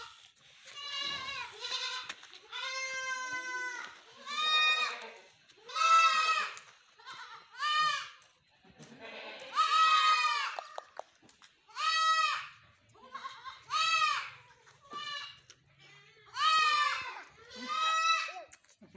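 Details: Goats kept on a farm bleating over and over, with wavering, nasal calls about a second long every one to two seconds, some higher and some lower, suggesting several animals, with a quiet background.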